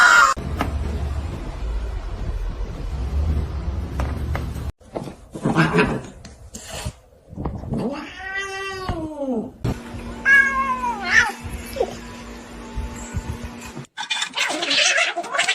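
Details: Pet cat indoors giving two drawn-out wailing meows with rising then falling pitch, the second followed by shorter yowls, over rustling, a steady hum and brief bursts of noise.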